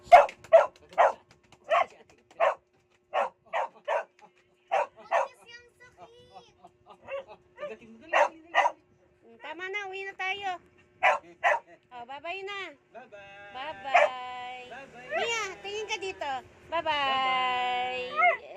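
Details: Aspin dog named Mia, addressed in conversation. A run of rapid, evenly spaced barks gives way to long, wavering whines and yodel-like howls that bend up and down in pitch, with human speech in the background.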